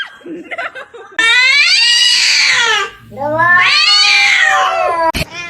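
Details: Domestic cat yowling loudly indoors: two long, strained cries, each a few seconds long, rising and then sliding down, separated by a short gap, with brief human voices and a sharp knock.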